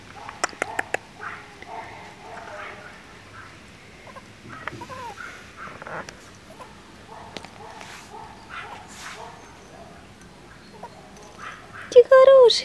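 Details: Chihuahua puppies at a breeding kennel give thin, high squeaks and soft whimpers scattered throughout. A louder rising-and-falling whine comes near the end. A person speaks gently to them in Russian, and sharp clicks sound early on.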